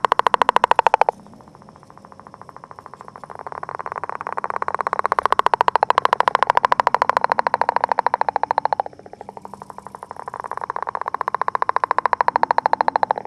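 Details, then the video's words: Northern leopard frog courting near its egg mass: long rattling snores of rapid, even pulses, one brief break, then a long rolling trill that fades slightly before a short pause and another drawn-out rattle. "Leopard Frog Eggs and Courtship"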